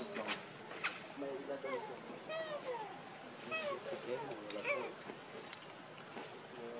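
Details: Baby monkey Leo, very hungry, crying and begging his mother for milk: a run of short arched whistled cries, rising then falling, clustered in the middle seconds, over faint background voices and rustling.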